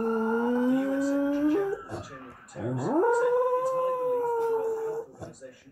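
A dog howls in two long, tonal phrases. The first holds low and steps up; the second swoops from a growly start up to a clear, sustained wail that fades off.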